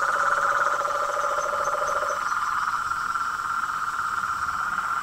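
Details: Massed frog and toad chorus: a dense continuous pulsing trill, with a lower steady buzz dropping out midway and faint high chirps.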